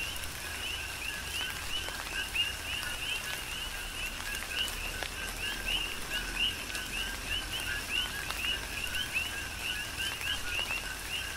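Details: Coqui frogs calling together in a Hawaiian tropical rain shower on the Big Island; bright rising chirps repeat in uneven runs from many frogs, backed by rainfall, occasional drop ticks and steady low noise.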